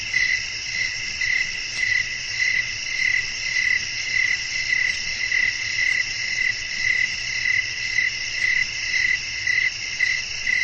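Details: At night outdoors, crickets chirp while wind blows: regular bright chirps about twice per second ride on a steady, sizzling background chorus of many callers.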